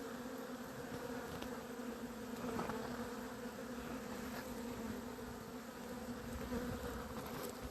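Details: Honey bee cluster on 28 April 2026 that panicked after discovering it had no queen. Dense, steady buzzing of many bees in low harmonic bands under broad hiss, with scattered faint ticks and knocks.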